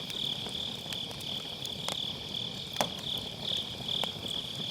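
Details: Autumn-night grass insects beside a firewood campfire, recorded via MKE600 with low cut; a high, wavering trill sits under frequent loud snaps and pops of crackling logs.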